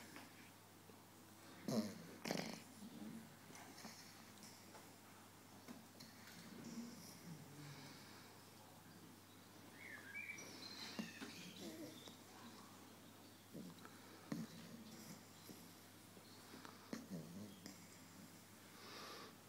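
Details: Chuck, a seven-week-old Labrador Retriever puppy, snoring in his sleep indoors: soft, quiet, breathy snores with a few louder snorts scattered through a low, hushed room background.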